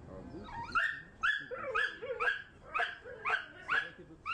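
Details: Pit Bulls squaring off during a training fight give rapid, harmonically rich barks, about two per second in a steady string, with faint background voices.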